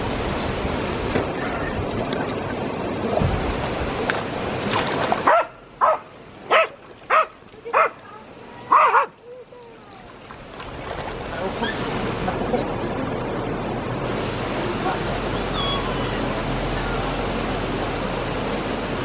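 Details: A Jack Russell Terrier out swimming lets off a run of five sharp barks, roughly one every 0.7 seconds, during a quieter gap between stretches of loud, rushing, splashing water.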